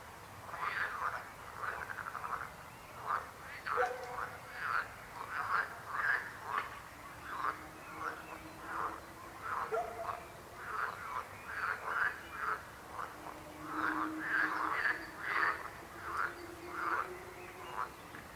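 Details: A steady chorus of frogs croaking in quick regular rhythm, roughly two rasping croaks per second, continuing unbroken with a faint low hum underneath.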